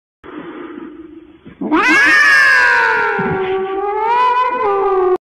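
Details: Cat meowing close into a microphone: a soft, low murmur first, then one long, loud, drawn-out meow that starts high and slowly slides downward with a wavering tone, ending abruptly.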